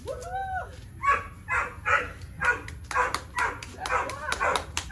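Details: Male Boxer Tyrion, three years old, keen on play and prey but not food, during engagement training: a whining yelp opens, then a fast train of short harsh barks, about two each second.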